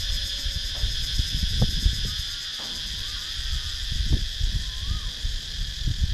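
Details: Continuous high cicada buzz in wooded Thai countryside at Sakon Nakhon, captured with a GoPro Hero 9, beneath heavy low rumble, sharp clicks and a couple of faint upslurred chirps.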